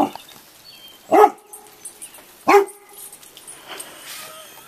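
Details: Chocolate Labrador Retriever Roxy, scared of roofing materials dropped off in a driveway, lets out two sharp, loud barks about a second and a half apart, with quiet coaxing speech between them.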